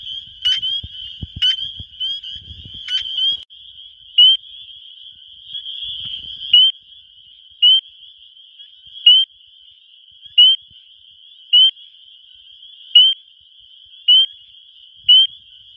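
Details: Male spring peepers calling to attract females in spring in Wisconsin, recorded on a phone: a dense high chorus of shrill peeps forms a constant trill, with a loud, clear rising peep standing out about every second, plus faint low rumbles early.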